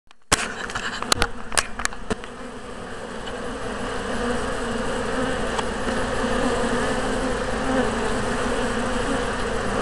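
Honey bees fill the air with a continuous low drone, a dense buzzing hum that grows a little louder over time. A few sharp knocks and clicks break through near the start.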